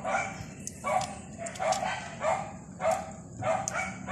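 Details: Dog, described as rolling, giving short sharp barks or yips in quick uneven bursts, about eight in four seconds, each with a bright, ringing tone over a faint steady high hiss and low background rumble.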